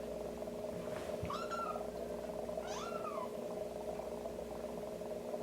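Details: Young kitten receiving toileting help with a warmed wet tissue tapped at its rear; two clear, high, arched mews about a second and a half apart against a constant humming background.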